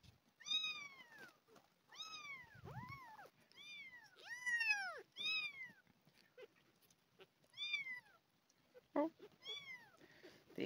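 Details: Hungry abandoned kittens, two found near a house, fed milk replacement indoors; insistent repeated high arched meows, some overlapping, about eight in quick succession, with soft rustling and brief handling sounds.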